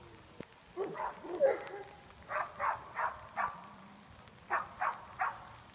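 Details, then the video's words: Herding as a junior herd dog, the Greater Swiss Mountain Dog Nash barks in an even series of about four rapid barks, a pause, then three more, over faint rustling outdoor background. "Junior Herd Dog - Nash, Greater Swiss Mountain Dog"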